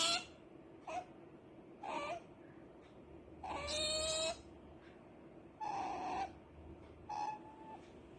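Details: Rara, a pet otter fussing because she wants to sleep, gives scattered whines and squeaks, one harsh longer squeal and a few thin steady whistles, separated by quiet gaps.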